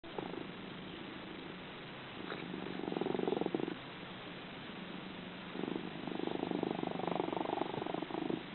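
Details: Kalohe, a cat at House of Dreams and one of its loudest snorers, purrs and snores while asleep. The rumbling swells in two-to-three-second bursts with each breath, and quieter stretches fall between them.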